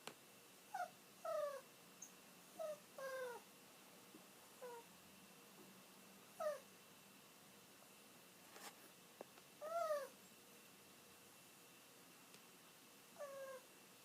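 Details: Kiri, an elderly pet dog, whimpers while waiting for her owner to come home. About nine short high whines, each falling or arching in pitch, are spaced irregularly across the stretch with quiet pauses between them.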